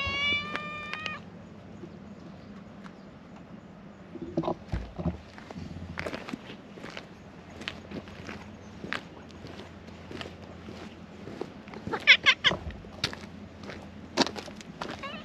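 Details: A white cat tagging along after someone gives a short meow at the start. A long stretch of footsteps and scuffing follows, with a brief burst of faint cat cries later on.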